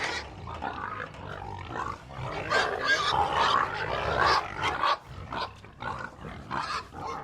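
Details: A herd of domestic pigs on a farm grunts and squeals together in a dense, overlapping chorus.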